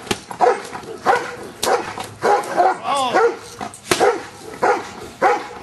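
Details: Repeated deep barks from Giant Schnauzer Luther during Schutzhund stick hit training, about one bark every two-thirds of a second, with a sharp stick crack near four seconds and a brief human voice mid-clip.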